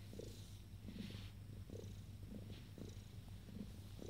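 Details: Purring from ten-day-old Abyssinian kittens: a low, steady rumbling hum with rhythmic pulses roughly every half second, continuous throughout, set against a quiet indoor background.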